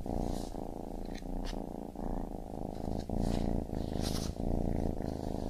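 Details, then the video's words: Kitten purrs in a low vibrating rumble with uneven breath cycles, overlaid by faint hissy rustles and light scratching sounds. "Baby Kitten Purring"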